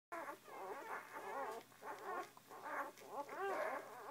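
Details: A litter of puppies mewing while feeding: overlapping high, wavering whimpers and squeaks from several pups, rising and falling in bursts with short pauses, a steady low hum underneath.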